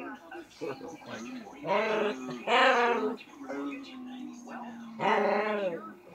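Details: Dogs at play, trying hard to talk: drawn-out, wavering whining vocalizations with strong harmonics, a long flat whine near the middle and louder rising-falling yowls, indoors with a person speaking softly.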